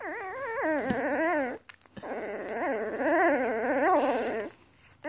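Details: Newborn Afghan Hound puppies in a litter born May 23, 2014, giving two long, wavering, high whimpering cries with rising and falling pitch, separated by a brief silent gap.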